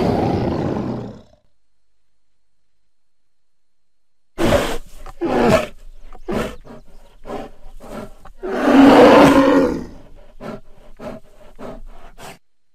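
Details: Bear met in woods beside a house, growling at the recordist: a short growl, a long pause, then a run of choppy grunting pulses building to a loud, rasping roar near the end.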